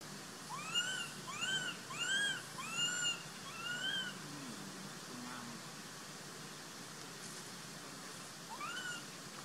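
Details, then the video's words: Sovana, an abandoned baby monkey, screams and cries to be taken back as Papa Lin hides from her in the troop. Five loud arched, rising-falling squeals follow in quick succession, then a pause and one more cry near the end. "Abandoned Baby Monkey Sovana Screaming & Crying to Take Her Back"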